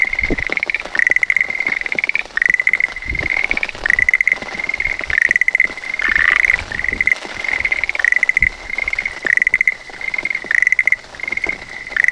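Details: Schlegel's green tree frog calling from a calla lily leaf as rain begins, filmed by smartphone under an umbrella: short bright rattling trills, slightly rising, repeated every second or so, about nine in a row, with rain patter beneath.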